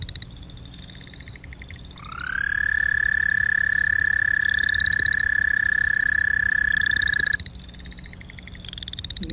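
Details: American Toad singing a long, steady, monotone trill lasting about five seconds, with a short upward slide at the onset; Boreal Chorus Frogs call before and after with rapid, rising, pulsed trills.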